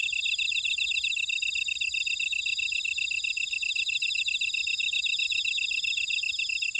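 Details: Grass insects in a buckwheat field at Ora-dong, Jeju City, on volcanic Jeju Island, South Korea: a dense, steady chorus of high, shrill trills and rapid pulsed chirps layered at several pitches, with no other sounds.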